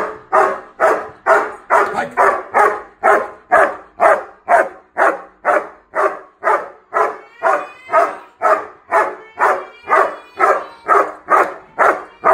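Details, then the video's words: Doberman puppy barking on command during hold-and-bark training: steady, evenly spaced barks about twice per second, sustained for twelve seconds, each bark short and harsh with a slight whine in some. "Doberman puppy learning hold and bark"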